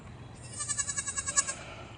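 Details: Baby goat on a farm uttering a single short, fluttering, tremulous bleat over faint background noise.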